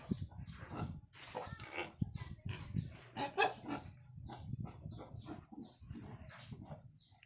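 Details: Wild boar just after giving birth, newborn piglets drinking milk: a steady bed of low rumbling grunts, overlaid by scattered rustling and brief higher squeaks.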